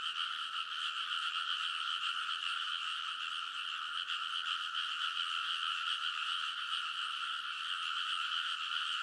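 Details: Frogs in a loud chorus along rice paddy ridges at midnight in early summer, Konosu, Saitama, Japan, recorded on a TASCAM Portacapture X8; dense overlapping croaking forms a steady wall of sound with twin bright bands, no gaps.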